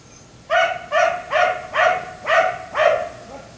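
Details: Black Labrador retriever left outside at night until 1am barks in a rapid series of six loud harmonic barks, about two per second, ending with a softer short yelp.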